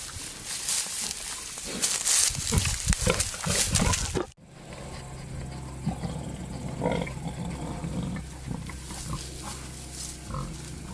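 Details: Male wild boar courting a sow in the wild: a dense run of rapid, rough grunts and snorts for about four seconds, then quieter scattered grunting over a steady low hum.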